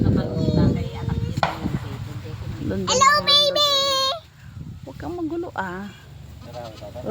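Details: Newborn goat kids, playful, on a farm; a high, wavering, tremulous bleat rises and falls for about a second midway, with shorter bleats later, among people talking throughout.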